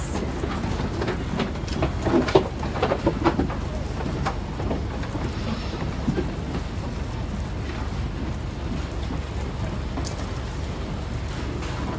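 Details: Steady rumbling noise like rain or traffic with faint knocks, no clear animal sound.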